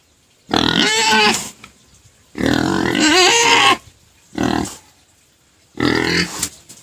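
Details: Crying pet pig that stops once given sugar cane, giving four harsh squealing bursts with wavering, strained pitch, separated by short silent pauses.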